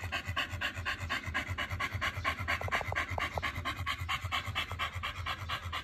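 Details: Pit bull dog eating a raw diet of silver pomfret fish and chicken thigh; rapid, steady rhythmic panting, about two breaths per second, with faint music in the background.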